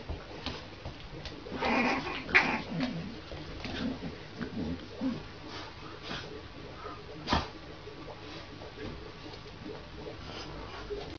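A French Bulldog puppy makes a string of snuffling grunts and brief, breathy yips in irregular bursts. Softer mewing and faint human voices come through now and then in the background.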